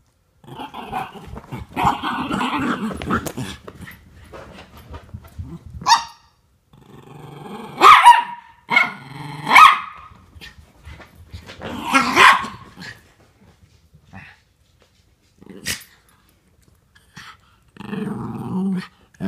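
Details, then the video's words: Norfolk Terriers Otto and Ernie wrestling together, one working to keep Ernie under control; long stretches of rough growling broken by a few sharp barks, with quieter scuffling gaps. "Norfolk Terriers Keeping Ernie Under Control"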